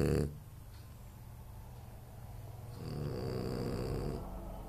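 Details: Sleeping French Bulldog Anton Speck: a brief snort at the start, then after a quiet stretch one softer, drawn-out rumbling snore of about a second and a half.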